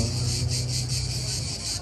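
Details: Cicadas at night give a steady, high-pitched shrill that pulses about four times a second over a low rumble. Finding: Cicada.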